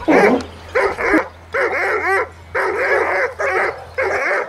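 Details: Dobermann, a 14-month-old neutered male described as strongly aggressive toward other dogs and cats, being trained off-leash in a city: harsh, loud barks in quick bursts roughly every half second to second, over a steady low hum.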